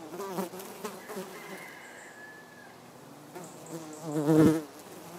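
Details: Common wasp (Vespula vulgaris) feeding on hogweed: a low, wavering harmonic buzz that rises and falls in loudness, swelling strongly near the end, with a brief thin whistled tone partway through.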